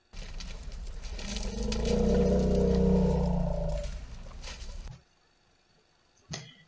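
A young African savannah elephant gives a long, deep, tonal rumble lasting about five seconds.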